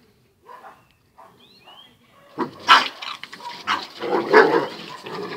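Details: Two dogs, Zion and Tyson, in their fierce daily fight: soft scattered growly sounds at first, then from midway a burst of loud, rough, overlapping barks and snarls in uneven bursts.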